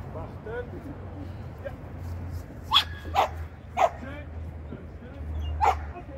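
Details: Shetland sheepdog at training lesson 9 on 8 November 2022, giving four sharp, short barks in the middle and end of the clip while a person talks throughout, with a steady low hum behind.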